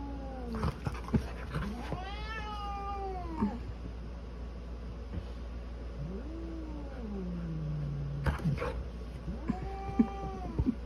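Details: Orange polydactyl cat fighting with a golden retriever: long wavering yowls and caterwauls, several drawn-out rising and falling moans with a few sharp bursts, over a steady low hum.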